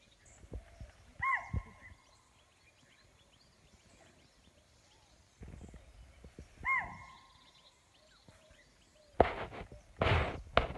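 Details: Chital (Axis axis) give two sharp, high alarm barks several seconds apart, warning on sensing a predator such as tiger or leopard, on a morning safari at Pandharpauni, Tadoba Andhari Tiger Reserve, India, 9 November 2017.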